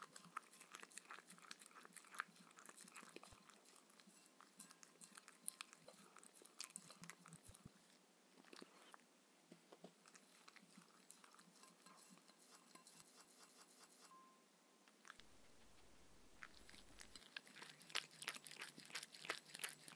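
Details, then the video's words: Shetland Sheepdog Mindy at her evening meal of raw kangaroo food and coconut oil, crunching rapidly, about three bites a second. A brief quieter lull mid-clip gives way to louder, denser crackling chews. "Dog eating sounds"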